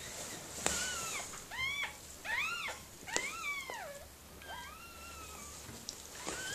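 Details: Whimpers during the birth of puppies to Mirella, a Miniature Pinscher, indoors: a run of high, thin, arching whines that rise then fall, about six in quick succession, some long and drawn out, over a faint steady hum.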